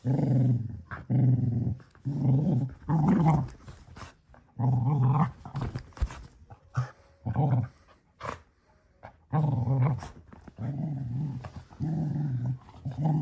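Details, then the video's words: Cocker Spaniel puppy, a male, growling at his Baby Yoda toy indoors: a near-continuous string of deep, throaty growls in pulses of roughly half a second to a second, with brief quieter gaps. "Cocker spaniel gets upset with his baby Yoda"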